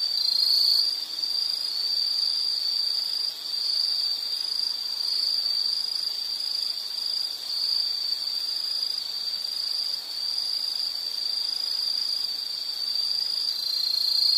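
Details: Insects in a nature soundscape keep up a continuous high, shrill trill that holds one steady pitch throughout, with fainter higher overtone bands and no other clear sounds.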